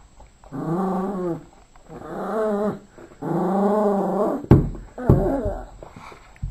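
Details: Yorkshire terrier playing with a ball and toy, growling in three long rumbling bouts of about a second each, then sharp bumps and a shorter growl near the end; faint music in the background.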